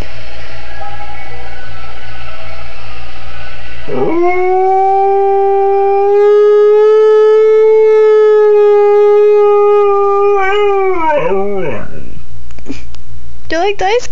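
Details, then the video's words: A Siberian Husky howls at an ice cream truck song played for him one afternoon after he perked up at it on a TV commercial: a long, steady howl ending in a quick falling-and-rising yodel. "Husky Howling at Ice Cream Truck Song.mov"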